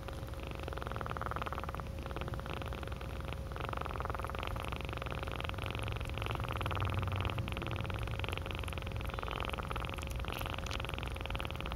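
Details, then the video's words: Close purring of a cat, a continuous rough low rumble with rhythmic pulsing, over steady background hum. "Purring is like yawning..."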